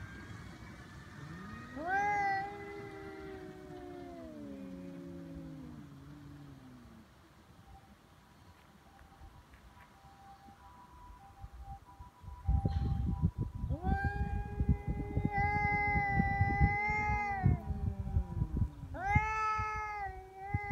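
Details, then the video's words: Two feral cats fighting on February 22, Cat Day in Japan, neither yielding to threats and escalating toward biting and cat punches: loud rising-then-sagging caterwauls, a quieter lull, then renewed harsh, wavering howls with scuffling noise. "猫の日ガチ喧嘩「威嚇で相手が引かない噛みつきや猫パンチに発展」野良猫 Cat Fight"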